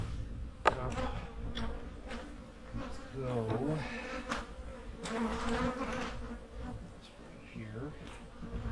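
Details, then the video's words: Honey bees humming in their hives during autumn hive preparation for winter, drones present; a steady low buzzing drone runs throughout, overlaid by rustling, clicks from hive handling and brief human voices. "My hives are humming along in the fall!"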